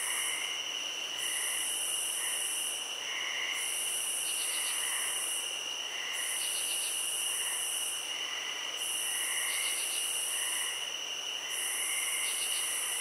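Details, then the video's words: A chorus of crickets trills nonstop at a high pitch. Quick clusters of rapid pulses recur roughly every two seconds, the top layer briefly falls silent at regular gaps, and faint softer chirps sit underneath. "Cricket Sounds"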